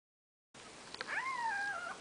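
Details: Newborn Maine Coon kitten, one of Nikita's litter on its fourth day of life, giving a single drawn-out wavering cry that rises, holds and sinks back down after a brief click, against a quiet indoor background.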